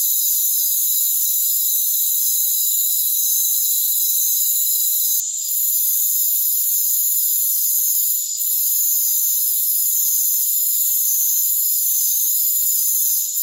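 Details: Rainforest crickets in a dense chorus: steady, high-pitched ringing trills layered in several continuous bands, unbroken for the whole stretch apart from two brief dips. No low sounds at all.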